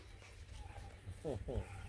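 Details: Beagle puppies scrapping in play at a Canadian breeder in Ontario; two short, sharp yips land a quarter second apart near the end, over low background rumble.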